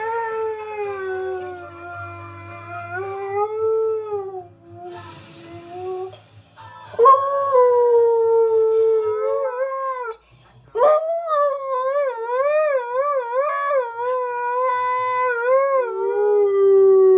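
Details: Husky-malamute mix dog, a male aged three and a half, singing: long sustained howls, wavering and sliding in pitch, with a steady low hum in the first seconds and a brief noisy gap in the middle.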